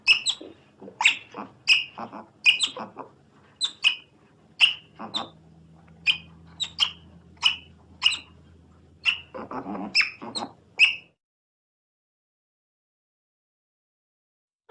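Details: Otter making a series of short, piercing squeaky chirps, roughly two per second, some over a raspy lower layer, ending in silence after about eleven seconds.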